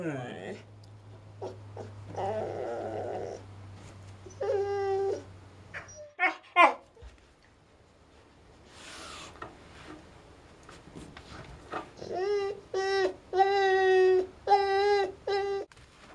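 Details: Indoors, a female Siberian Husky stuck beneath a coffee table. A person talks at first, then a brief whine, then a run of five or six loud, drawn-out, wavering whines and yowls close together near the end.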